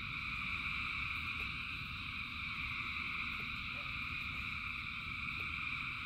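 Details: Thousands of frogs singing in the rain, their voices merging into a continuous shrill multi-toned hum that never pauses, with a deep rushing rain-like rumble underneath and scattered soft ticks.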